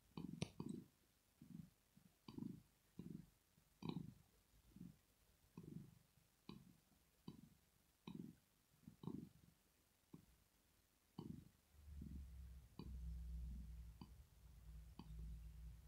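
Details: Rosetta, a sleeping female cat, purring in relaxation: rhythmic low rumbling pulses for about eleven seconds, then soft sustained music tones enter beneath the fading purr.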